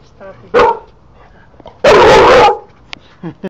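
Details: Dozer, an English Bulldog described as friendly and not usually a barker, gives two deep, gruff barks, the second drawn out and rough, as he is told to stop.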